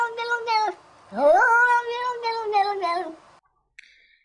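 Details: Domestic cats from collected internet recordings, sounding as though trying to talk: a drawn-out meow is followed by a second that rises steeply, then trails off in a long, quavering fall, with a faint click near the end.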